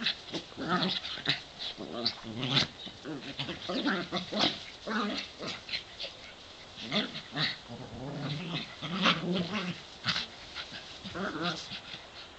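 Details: Pair of pet dogs, 7 and 8 years old, playing in the back yard on a sunny day; a busy stream of short yips, grumbling growls and whines overlapping as they tussle, with scrabbling paws and clicks.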